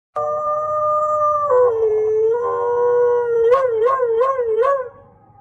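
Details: On a cold day, a wolf gives a long, steady howl that ends in a rapid, wavering series of rising notes.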